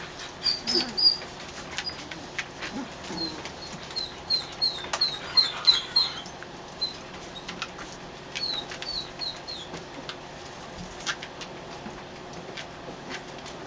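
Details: Kerry Blue Terrier puppies, three weeks old and litter of Sam and Gloria, squeaking inside a dog show trailer: short high peeps in loose bursts, with scattered clicks and soft rustling between them.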